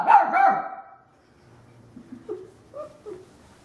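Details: Female puppy meeting a vacuum cleaner for the first time: two quick loud yapping barks at the start, then quiet low murmuring and a few soft short sounds trailing off.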